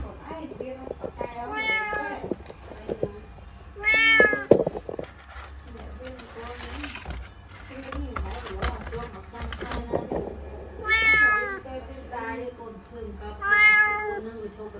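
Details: Pet kitten stuck in a laundry basket at home, meowing repeatedly in short, bright cries between stretches of human talking and rustling of the basket.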